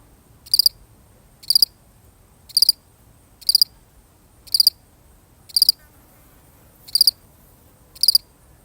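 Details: One cricket alone, real audio: eight sharp, high-pitched chirps, each a tight cluster of pulses, spaced close to a second apart over a faint quiet backdrop.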